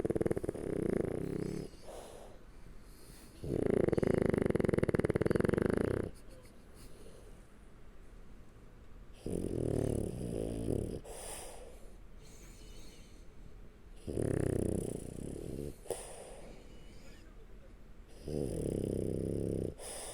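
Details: Sleeping French Bulldog lying on its back under someone's arm gives loud, rasping snores in long drawn-out bursts every few seconds, the longest lasting over two seconds, with soft wheezy breathing between them.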